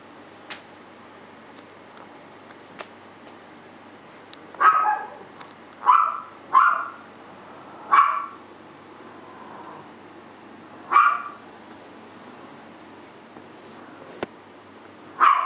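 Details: Bulldog puppy sisters letting out scattered high yips and short barks, a cluster in the middle and one at the end, with faint clicks and knocks between them.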